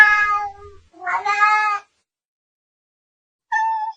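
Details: Domestic cats fighting: drawn-out, harmonic yowls, one swelling into a loud wavering wail, then a brief clear meow after a silent pause.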